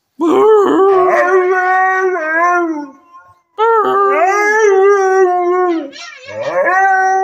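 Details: Howling from Arlo, a 100% Siberian husky trained as a service dog since eight weeks old: warbling, rich-toned wails with quick pitch wobbles at the starts, two long phrases and a third beginning after a brief whimpering break.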